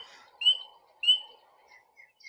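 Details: A tiny spring peeper frog, one of the first animals to wake from winter sleep in spring, gives two loud, high, clear peeps about half a second apart, its throat bubble inflating.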